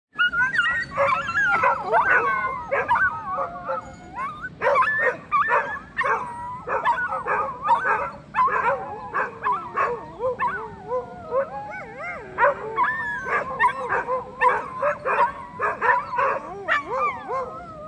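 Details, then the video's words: Several dogs barking at Cijin Beach in Kaohsiung, Taiwan, filmed on a phone: dense overlapping yelps, whines and barks in rapid bursts throughout, some wavering whimpers mixed in, with a steady low background rumble. "Dogs Barking in Cijin Beach"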